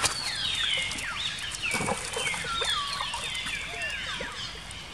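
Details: Baby monkey Jinx, female, crying after an attack by another monkey, Spring: dense overlapping shrill wails, each gliding downward, forming an almost continuous screaming stream.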